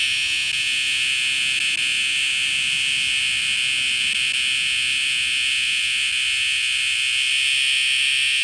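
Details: A cicada held in hand on a backyard patio in the evening gives a loud, steady, high-pitched electric buzz that never lets up.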